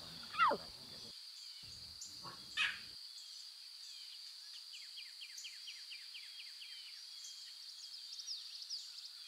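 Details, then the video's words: Lion cubs in the wild with their mothers, in natural surroundings: two sharp, downward-sliding mews, the first clearly louder, about two seconds apart, over a steady high insect drone and scattered faint ticking chirps. "Lion Cubs And The Sounds They Make"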